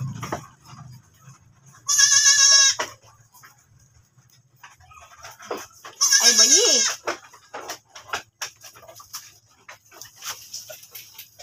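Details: Goat belonging to a household, just after giving birth once more, lets out two loud, quavering bleats several seconds apart, the second dipping and wobbling at its end, over a low steady hum and faint ticking noises.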